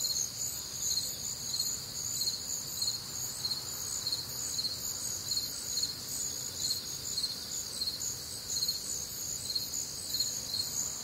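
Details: Night chorus of crickets on a warm, humid Midwestern summer night: shrill, continuous high trilling with evenly pulsed chirps roughly twice per second, several callers overlapping, otherwise quiet.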